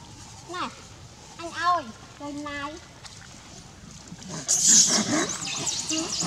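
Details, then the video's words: An adult monkey in Cambodia scaring a big male monkey: a burst of short, arched, harmonic squeals rising and falling in quick succession, followed by rustling, noisy scuffling and background voices. "Adult monkey scares big male monkey"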